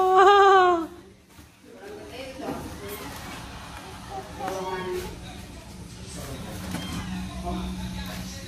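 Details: Persian cat among many pet cats played with indoors, one loud arching meow rising then falling in the first second, followed by quieter background chatter and room noise.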